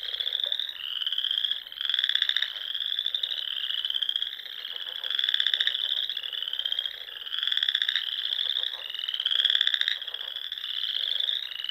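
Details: Chorus of frogs singing at dusk in spring among the small lakes and ponds of Nebraska's Sandhills; dense overlapping high trilled calls swell and fade in waves every second or two, with lower pulsed croaks beneath.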